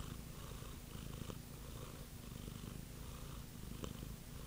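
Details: Close, continuous purring of a cat: a low buzzing rumble with soft rhythmic pulses from inhaling and exhaling, a small click partway through.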